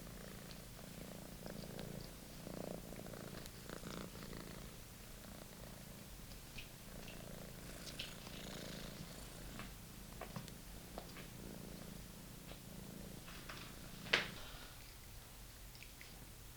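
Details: British Shorthair kitten at play with a beloved old toy, giving a soft, even, low purr that continues throughout, broken by faint scuffling and a single loud click near the end.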